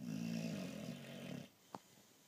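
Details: Boxer dog sleeping indoors, snoring loudly: a long, low, rumbling snore of about one and a half seconds, then near silence with a brief faint click.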